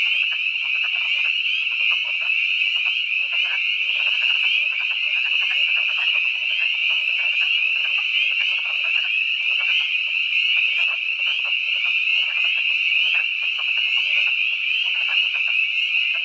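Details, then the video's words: Twilight chorus of spring peepers mixed with wood frogs, ThorpeWood, Catoctin Mountains of Frederick County, Maryland, March 11, 2012: piercing, continuous high peeping layered over quick, duck-like chuckling croaks in a steady pulse. "Spring peepers and wood frogs at twilight (March 11, 2012)"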